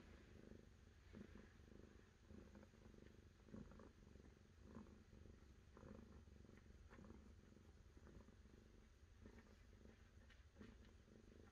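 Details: Domestic cat purring steadily, a low rumbling drone with soft pulses recurring roughly once a second as it breathes in and out, quiet and close.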